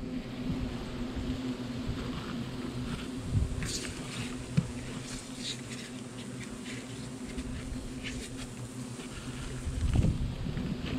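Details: Nervous hornets swarm around their nest in a gazebo smokehouse chimney as it is poisoned and pulled out; a continuous low hum of wings runs throughout beneath rustling, scraping and a few clicks of work on the nest.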